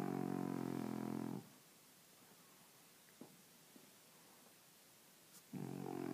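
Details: Sleeping French Bulldog snoring: a loud, rasping, buzzy snore for just over a second at the start, near silence with faint ticks, then another harsh snore beginning near the end.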